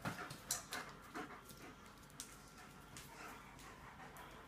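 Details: Playing German Shepherds, girls ganging up on a boy: rhythmic breathy panting, roughly two puffs a second, irregular, with scrabbling clicks and brief louder bursts in the first second, faint background hum.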